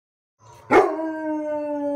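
A Basset Hound launches into a long, steady howl after a sharp onset.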